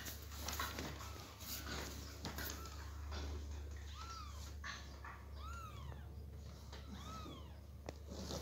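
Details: Persian kitten crying as its mother carries it from box to floor, indoors; faint early meows, then several louder arched meows in the second half over a steady low hum and rustling.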